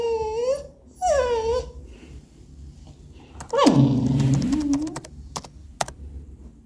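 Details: Robby, a pet English Cocker Spaniel, seeks attention indoors while his owner works from home on 18 September 2022: two short rising-falling whines, a pause, then a longer low grumbling groan that drops in pitch, with faint clicks afterward.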